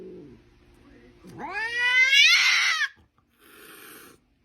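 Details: Domestic cat giving a drawn-out, rising, strongly harmonic yowl that swells and holds, then breaks off into a short breathy hiss-like burst; faint lower murmuring sounds come before it.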